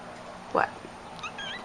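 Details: Pet cat named Cricket, indoors, gives one short meow, a brief arched cry lasting about a tenth of a second, then a person's voice asks "What?" in a quiet room.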